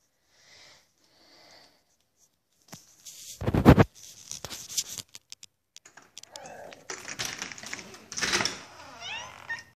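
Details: Blue, a male pet cat who says "hello" and knocks or scratches at the door each time he wants to be let in; faint short calls first, then loud thumping and scratching bursts, ending in wavering, rising-and-falling meows.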